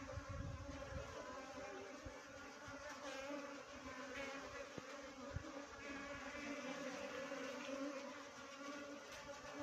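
A swarm of honey bees fills the air with a dense, steady, droning buzz.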